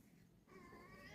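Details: Cat named Lakshmi calling indoors like a mother cat near a small kitten; one drawn-out harmonic meow starts midway and holds steady to the end over low room noise.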